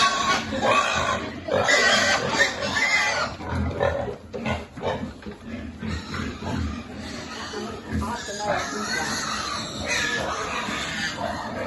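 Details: Feeding piglet on a farm with a group of pigs: a loud bright squealing stretch early on, then scattered grunts and snuffles under ongoing human voices.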